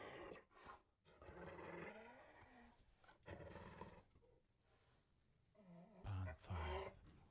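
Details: Hyena in Kadbanwadi forest near Bhigwan, India, giving low, rough growling bursts about a second long, separated by short quiet gaps, with a brief louder double grunt near the end.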